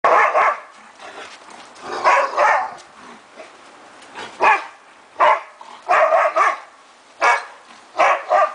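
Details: Three Afghan Hounds playing rough together in a backyard, one retreating; loud, short barks in single and double bursts, roughly every second or two, with quiet pauses in between.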